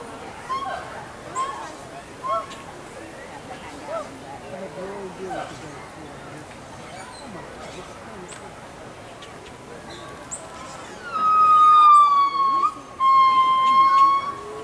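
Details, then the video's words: Gibbons calling to each other at Walt Disney World's Animal Kingdom in 2018: after quiet crowd murmur, a loud sustained whooping tone holds steady for about three seconds with a short break, rich in overtones. "Gibbons Calling to Each Other"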